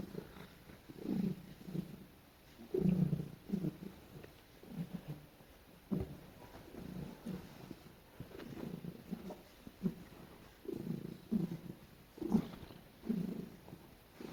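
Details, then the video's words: Female house cat snuggling while being petted, giving soft low murmuring purr-like noises in short irregular bursts across the whole stretch, fairly quiet, with small rustles between them indoors. "Cat Makes The Cutest Noises While I Pet Her"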